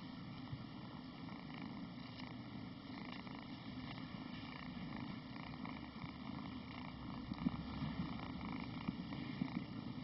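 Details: Cat purring while being played with: a continuous deep, even rumble throughout, with a few soft clicks near the end.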